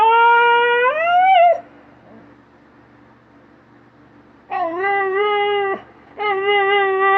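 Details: Dog in a compilation of funny pet moments, giving two drawn-out tonal whining howls indoors, the first rising at its end, the second steady and slightly lower, separated by several seconds of near silence.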